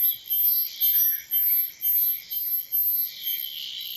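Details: Cicada calling with harsh, high-pitched buzzing pulses repeated about twice per second, each lasting roughly a third of a second, over a steady high hiss.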